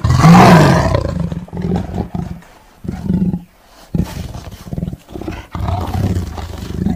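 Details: Deep tiger roar opening with a loud rough blast, then fading into a series of low rumbling growls and grunts.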